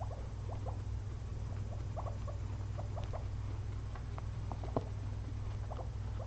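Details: Two pet guinea pigs napping after a long day of munching frozen blueberries; short, soft rising squeaks come in quick irregular bursts over a steady low household hum.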